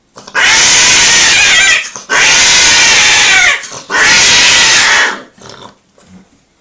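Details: Cats mating, giving three long, harsh, raspy screeches of over a second each, separated by brief gaps, then fading into quieter rustles.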